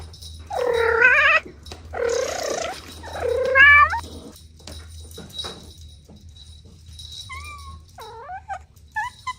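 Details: Domestic cat kittens playing with their mother and two siblings: three loud, drawn-out harmonic meows about a second apart, followed by thinner, shorter, higher mews, over a low steady hum.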